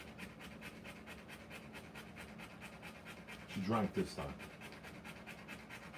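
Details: Rottweiler giving birth to puppies pants in rapid, regular breaths; a short human voice cuts in briefly near the end while the panting carries on underneath.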